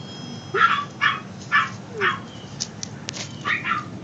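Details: Tiny toy Maltese puppies, brothers and sisters let out together for the afternoon, give a quick run of about seven sharp, high-pitched yips, some with a faint whine, over a steady low hum.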